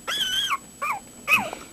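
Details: Young puppies howling in their first litter, with three short high wavering cries, the first a steady held note, the next two sliding downward, quiet between them.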